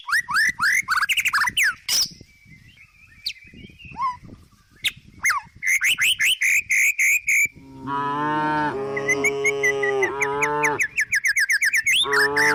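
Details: Resting tame cow in the countryside, eating grass. Rapid, repeated bird chirps and whistles dominate at first, then a sustained, wavering moo with strong harmonics, cut by more chirps near the end.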